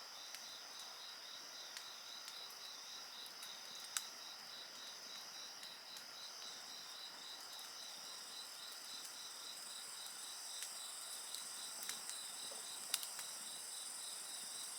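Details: Night insects singing beside a crackling bonfire: steady high shrill bands with a fast pulsing trill near the middle of the range, continuous throughout, broken by sharp pops and snaps from the burning wood.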